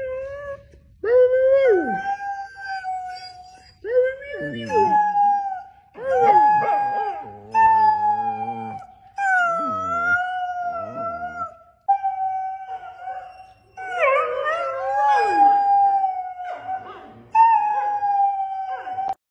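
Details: A borzoi gives a series of long howls, each rising at the start then holding a steady, slightly wavering pitch for several seconds, with short pauses between and perhaps a faint voice.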